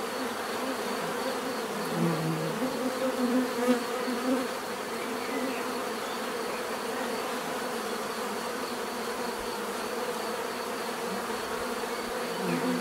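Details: Natural buzzing of many bees, a steady drone with one bee passing close and loud around the second to fourth seconds, then the even hum continues.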